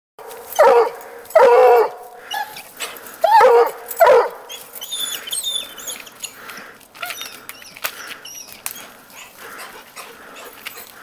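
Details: Petey, a coonhound, bays after treeing the neighbour's cat: four loud, harmonic howling bays in the first five seconds, then quieter background with scattered high bird chirps.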